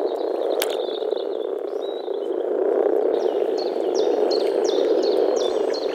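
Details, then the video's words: Early-spring mating gathering of male European common frogs in a small forest pond: continuous deep grumbling from many vocal sacs, while a bird repeats short high chirps over the second half. "Nature sounds – European common frog (Rana temporaria)"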